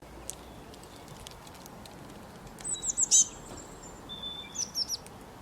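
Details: Squirrel calling very loudly: two bursts of sharp, very high chirps, the first of about five quick notes, the second of four, over faint steady outdoor hiss with a thin whistled tone between bursts.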